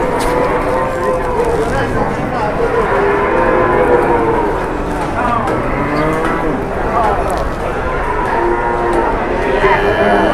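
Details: Cattle at a livestock market in Indonesia, taken out to the market by a farm: repeated, overlapping deep moos with rich harmonic bands, rising and falling across the whole stretch, over a steady background of market noise.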